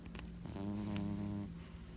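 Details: Sleeping pet cat named Junior gives one loud snore, a single buzzy, rumbling breath just under a second long with stacked overtones, set against faint steady low background hum.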